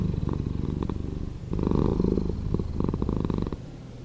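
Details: Cat purr slowed down, heard as a deep, buzzing throb with a distinct flutter, a softer stretch giving way to a louder, fuller rumble partway through before easing again.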